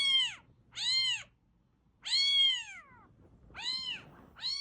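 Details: Domestic cat, a fluffy grey, calling in a sound meant to attract a cat: four clear arched meows, each rising then falling, the third longer with a trailing downward slide, over a faint low hum.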